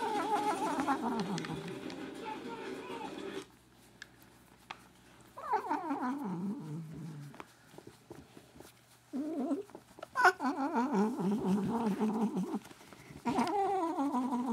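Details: Pet cat making strange sounds while having her ears rubbed: drawn-out, wavering moaning calls, one sliding downward, separated by short quiet gaps, with a person's voice nearby.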